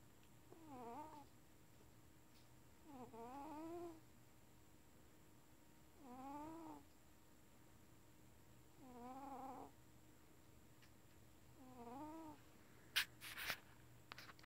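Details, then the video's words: Domestic cat asleep indoors, snoring: five soft, wavering nasal rasps at regular intervals about every three seconds, each a short wobbling tone, with faint room hum and a brief clatter near the end. "the Snoring Cat"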